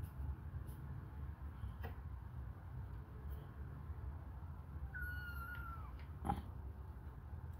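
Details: Hungry kittens suckling on a finger indoors; a single high, slightly falling meow about five seconds in, with soft clicks and low background rumble.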